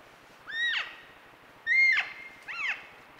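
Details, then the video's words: Elk calves with their mothers, caught on a trail camera, calling to each other: three high, squealing mews, each sliding up then dropping steeply, spaced roughly a second apart over a quiet, faintly hissing background. "Elk Calves talking with their Moms"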